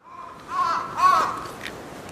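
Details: A common chimpanzee (Pan troglodytes) eating an apple gives two short, hoarse, harmonic calls, each rising slightly and then falling.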